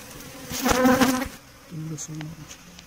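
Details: Honey bee buzzing close by during beekeeping while bees are caught: a loud, rich droning hum swells for about half a second, then fades into softer, lower tonal hums and a quiet background.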